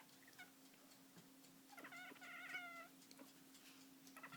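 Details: Domestic cat named Stella, indoors at breakfast time, shaking her jaw while making weird noises: a short burst of rapid, stacked chirping chatter in the middle, with faint ticking and a steady hum behind.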